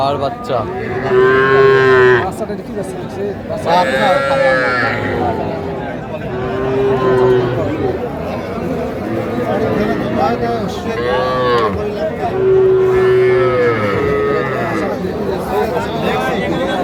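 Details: Young Sahiwal bull and heifer calves in Faridpur, Bangladesh, on 17 March 2025, bought by a farmer: high, drawn-out moos about every three seconds. Men haggle over prices in Bengali between the calls.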